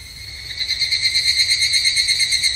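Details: Evening cicada (higurashi) singing at a temple in Japan in summer: a high, ringing metallic trill with fast, even pulsing, quiet for the first half second, then swelling to a steady, full chorus.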